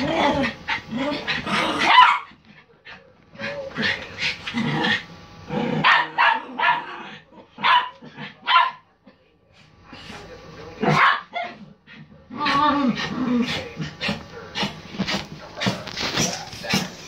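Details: Poodles Prince, Shadow and Tyson barking wildly: bursts of sharp, excited barks and yips in rapid clusters, overlapping at times, with short pauses between flurries and some human voices mixed in.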